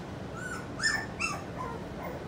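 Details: Four-week-old puppies whimpering: two short, high, squeaky yelps close together near the one-second mark, with fainter thin whines before and after, over a soft steady hiss.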